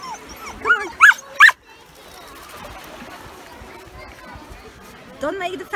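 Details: Yuki, a male Samoyed at a UK beach on a 31-degree day, voices his happy excitement with a few short rising-falling whines. Quiet beach background fills the middle, and a couple more whines come near the end.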